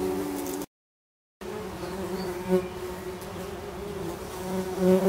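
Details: Tree bumblebee workers at a healthy nest box in a garden, reacting aggressively as the box is opened. Dense, steady low droning buzz with rising and falling swells, cut by a short silent gap.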